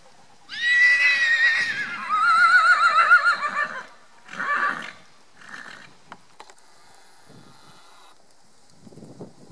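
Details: A loud, drawn-out neigh from the pony Cachemire at a pony 2 grand prix, 18 November 2018. It opens high and steady, then turns wavering and quavering for about three seconds. Shorter snorting bursts and scattered soft knocks follow.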